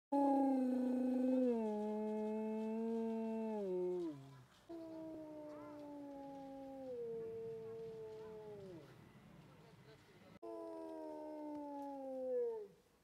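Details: Wolves howling in long drawn-out tones with rich harmonics, each howl holding steady then sliding downward; several overlapping voices, with a fresh higher howl entering near the end.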